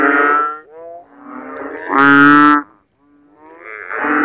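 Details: Rainy-season frog in a Philippine backyard at night, after heavy rain pools water in ditches and swales; a few loud, drawn-out, lowing calls with rich harmonics, one stronger and brighter, separated by short pauses.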